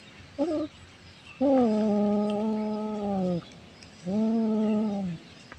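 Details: Orange cat hunting prey gives long drawn-out yowls: a brief wavering chirp, then a steady two-second moaning wail that slowly sags in pitch, and a second shorter wail after a pause.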